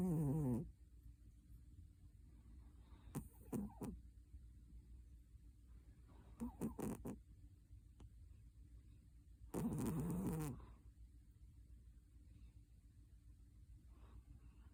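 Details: Cat asleep and snoring, with rough, low, noisy breaths recurring about every three seconds. The first and last breaths are the longest and loudest, with faint shorter puffs between, in a quiet room.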